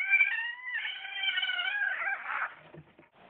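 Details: Bengal cat meeting another cat indoors for the first time, uttering a drawn-out wavering meow of about two and a half seconds, fairly loud, trailing off into faint rustling.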